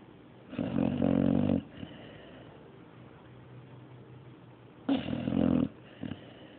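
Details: Mario, a dog, snoring: two loud rasping snores about four seconds apart, each roughly a second long and harsh and buzzy, with quiet breathing between them.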